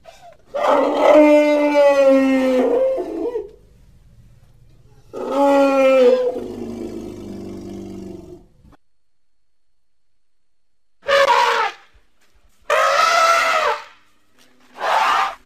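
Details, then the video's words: Baby elephant playing, giving a series of loud harmonic hoots: two long drawn-out calls, then three shorter bright bursts separated by silences, with a low rumbling tone between the first calls. "A pretty baby elephant and such a defenseless hoot is not at all small"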